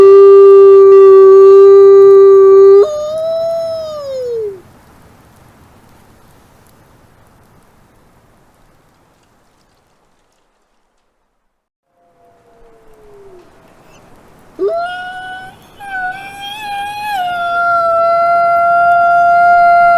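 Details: Wolf howls open with a long level tone that falls away in a drooping glide. A quiet gap with faint murmurs follows. Then a fresh howl swoops up into wavering, overlapping voices that hold to the end.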